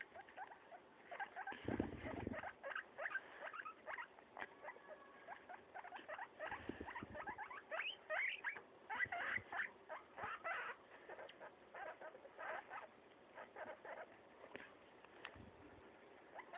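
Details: Guinea pig kept as a pet munches a leaf with steady, brittle crackling bites in uneven clusters throughout, plus a few soft low thuds and rustles.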